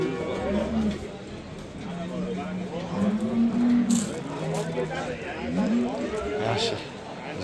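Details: Simmental cows for sale at the Shahrixon livestock market: several low, drawn-out moos, a few bending slightly upward, rise over the constant murmur of a crowd, with men's voices bargaining close by.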